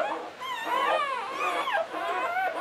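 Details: English Springer Spaniel female whimpering while giving birth to the seventh puppy of a litter of nine, during contractions; continuous high, wavering whines with sliding pitch, rising and falling over nearly three seconds.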